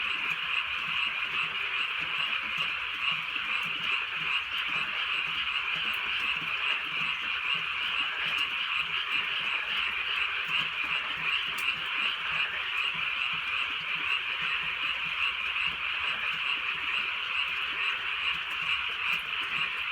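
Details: Countryside night in light rain, with many frogs calling at once in a steady, high-pitched trilling wall of croaks that never pauses, over a faint patter of rainfall.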